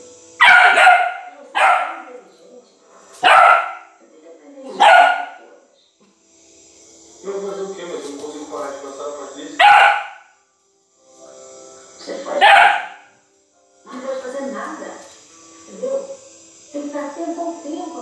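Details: Hunting dog baying at a cornered paca: loud bursts of barking-howls about every two to three seconds, with quieter stretches between that hold other voices and noise.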